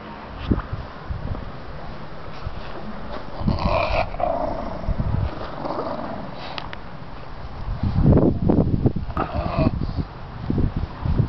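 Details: Toby, a pet dog, walks around with his ham bone and growls when someone gets too close; low rumbling growls rise and fall in uneven bursts, swelling louder near the end, with faint voices in the background.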